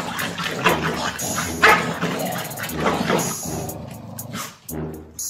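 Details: Two Corgi dogs quarrelling, a rapid series of loud, sharp barks and yips overlapping one another, with harsh bursts and brief pauses, some hissing noise between barks.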